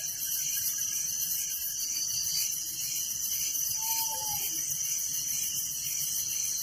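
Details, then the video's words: Crickets calling through the night in a village, a thick, high ringing trill with steady rhythmic pulses, joined for a moment by one faint short whistle. "Relaxing Night Crickets Sound in Village"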